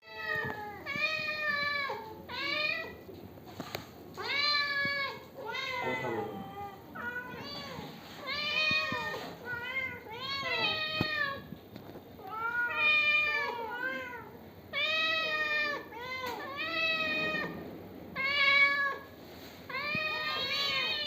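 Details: Pet cat in Bangladesh enjoying milk, indoors, meowing repeatedly: about a dozen short, bent, nasal meows over twenty seconds, often in quick pairs with brief pauses between them, and faint room noise behind.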